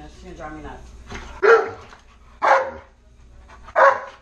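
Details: Indoor Alaskan Malamute, Tonka, asking for french toast: soft murmuring, then three short loud harmonic yelps or woos spaced about a second apart.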